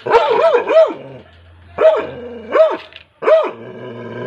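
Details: Labrador retriever puppy barking in three short bursts of two or three high yelping notes each, arched in pitch, separated by pauses, with faint background music.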